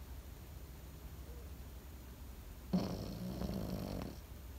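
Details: A sleeping Pekingese gives one long snore of about a second and a half. The breath is gravelly with a faint low tone inside it, and it follows near silence.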